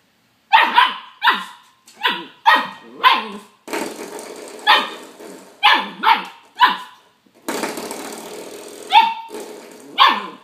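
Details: Young dog barking at a haunting doorstop: rapid series of sharp, high-pitched yaps, roughly one every half second, mixed with rattling scraping noise from the doorstop being pushed and bitten.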